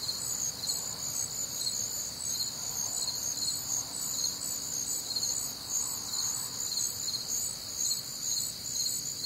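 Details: Night chorus of crickets recorded on a warm, humid summer night in the Midwest: shrill, overlapping trills and pulsed chirps stacked at high pitch, unbroken throughout, with faint low rumble beneath.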